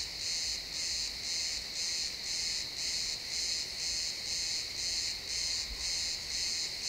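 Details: Crickets chirping in a pine forest at sunset, XY stereo: evenly spaced high-pitched chirps, about two each second, ring over a steady background hum of more insects.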